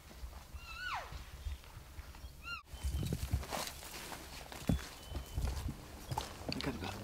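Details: Bull elk on September 7, 2018, during an archery hunt, bugles from a ridge point between two basins in reply to calls: a brief high whistle sliding down and a short grunt. It was close, not mature, and tentative.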